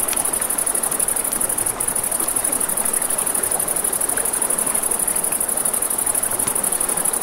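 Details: A riverside night scene with crickets: an unbroken, high, rapidly throbbing trill sits above a dense rushing-water hiss, with only a few faint campfire crackles.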